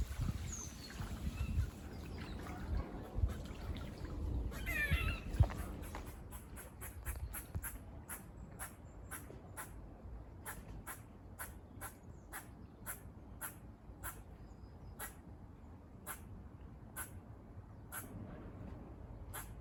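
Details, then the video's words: Squirrels near a farm giving barking calls that sound like a buzz: a long, steady run of short, sharp clicks about twice per second over low outdoor rumble. "Squirrel barking calls"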